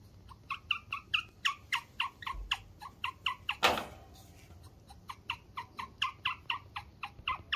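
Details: Guinea pig reacting when it senses something is wrong: a fast, even series of short, bright chirps, about three each second, broken by one louder rasping burst midway, in a quiet indoor space.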